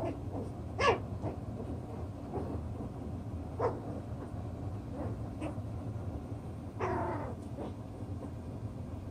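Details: Chocolate brown Toy Poodle puppies, six weeks old, playing with toys and settling their pecking order: a sharp yip near the start, scattered short squeaks, then a longer harmonic whining yelp near the end, over low background hum.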